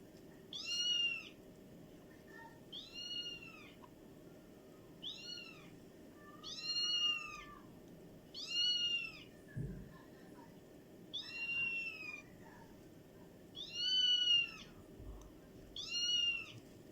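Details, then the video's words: Beautiful cats making strange sounds indoors: high, thin, arched meows repeated about every two seconds, eight in all, each a short rising-then-falling whine with bright overtones, over a low steady room hum. "Beautiful cats make strange sounds."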